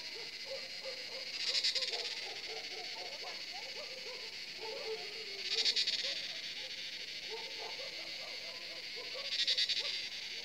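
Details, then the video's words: At sunset, around seven in the evening, cicadas sound from the forest at Jabbarkhet Estate: a continuous high hiss with three louder buzzing surges about four seconds apart, over many soft, low, chirping croaks. "Cicada sound in forest"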